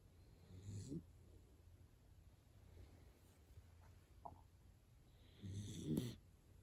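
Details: Hana-chan the dachshund dozing deeply and snoring like an old man; two rasping, gurgling snores roughly five seconds apart, the second louder and longer, with a faint click between them.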